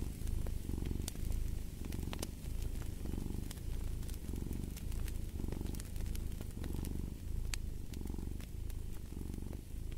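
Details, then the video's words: Cat purring steadily, deep rumbling swells rising and falling with each breath about every second and a quarter, while a fireplace crackles and snaps throughout. "the Purring of a Cat"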